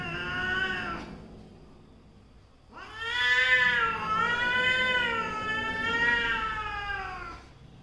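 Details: Quarrelling pair of domestic cats, a mother and her daughter, trading harsh yowls: a short falling wail, a pause, then a long sustained howl with slow wavering pitch lasting nearly five seconds.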